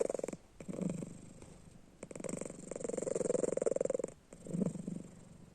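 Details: Sleeping house cat, eyes open, snores in a small room: loud rhythmic purr-like rattling in several bursts separated by short pauses, the longest run lasting about two seconds.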